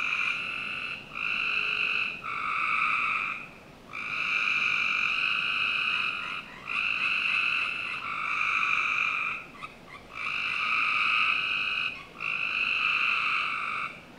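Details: Frogs calling on a summer night in a Northern Virginia backyard: buzzy, trilled calls lasting one to two seconds each, about seven in a row with short pauses, over a steady faint background hiss.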